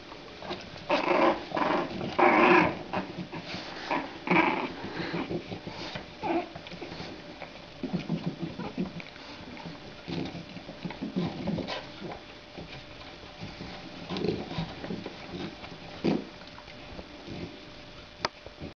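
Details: Indoor play between two female French Bulldog puppies, 27 days old, born 23 December 2011: repeated short, rough puppy growls and yelps in bursts over the first half, softer grumbling and scuffling afterwards.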